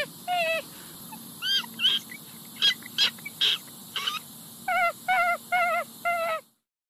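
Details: Raccoon voice: a few quavering whine notes, then a stretch of short, sharp clicks and chirps, then a closing run of wavering whines repeated in quick succession.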